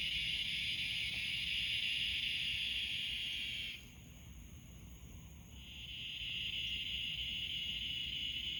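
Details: Crickets chirping at night from pine trees; a dense, steady high-pitched trill runs without a break, drops away for about two seconds midway, then swells back in and continues to the end.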